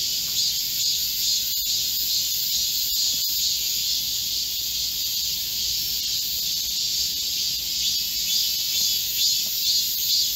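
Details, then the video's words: Korean cicadas in a chorus in a green forest in midsummer heat, 25 July 2024: a dense, continuous high buzzing drone from many insects, steady and unbroken, with no other clear sounds. "Korean cicadas, a chorus in a midsummer green forest | 한국 매미들의 한여름 초록 숲속의 합창"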